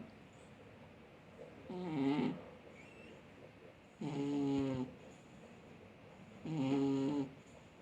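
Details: Sleeping cat snoring like a man, three long, rasping snores about every two and a half seconds, each a buzzy, wavering drone with strong harmonics, separated by near silence.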